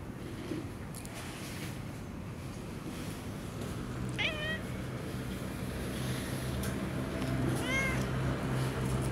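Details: Long-haired tabby cat living with a family of tabbies in a park, meowing while being stroked outdoors: two short rising-falling meows several seconds apart over a steady low rumble of traffic.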